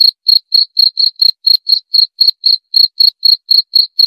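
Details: Cricket chirping, offered for sleep relaxation and repelling rats: clean high-pitched pulses repeated about four per second in a steady run, nothing else audible.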